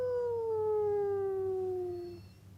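A wolf gives one smooth, mournful howl that slowly slides downward before fading out.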